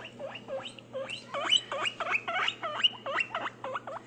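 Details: Pet guinea pig uttering a regular series of dipping, looped squeaks, roughly three each second, against a constant low hum and faint background noise.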